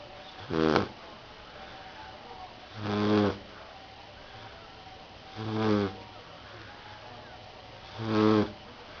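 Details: Sleeping Rottweiler puppy gives steady, buzzy snores, four even breaths roughly every two and a half seconds, low and rasping with a hum of room noise beneath.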